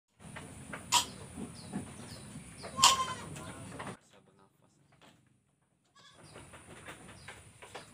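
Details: Sick goat in Indonesia with a cough, runny nose and difficulty breathing: two sharp, harsh coughing bursts about two seconds apart over steady low background noise, faint chirps behind, then near-silence before the noise returns.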